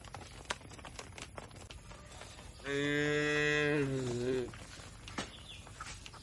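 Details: Tame cattle being herded to an open field in the countryside; one strong, steady harmonic moo of about two seconds that drops in pitch at its close, surrounded by clicks and knocks.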